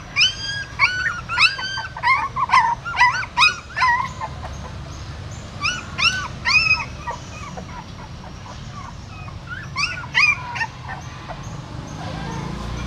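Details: Whimpering around a female dog relocating her newborn puppies by mouth from a stupa hole at a Siem Reap pagoda; clustered high, rising-falling squeals in irregular runs, pausing briefly, with steady low hum beneath.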